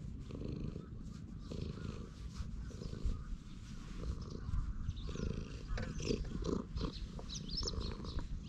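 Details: Contented stray cat on a bench purring happily under stroking, GoPro HERO8 recording; a dense, even low rumble pulses steadily, with light rustling and faint high chirps near the end.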